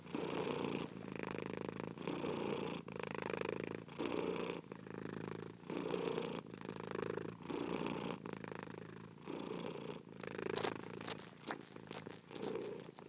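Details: A house cat purrs in rhythmic cycles of roughly a second each, the rumble rising and falling with every breath, a short crackling rustle near the end.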